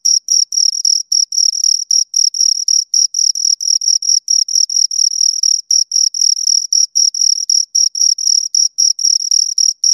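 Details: Two crickets chirping close up, a steady high, narrow-pitched trill of short pulses running about four per second, with a fainter higher overtone band; no other sounds present.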